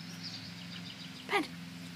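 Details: Jack Russell Terrier out on a walk alongside a second dog lets out one brief, high whine that bends downward in pitch and fades within a fraction of a second, over a steady low hum.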